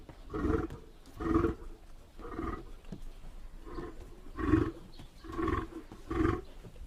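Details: Lion giving a run of grunting roars, seven deep, hoarse pulses spaced roughly a second apart with uneven rhythm, low rumbling bass beneath each grunt.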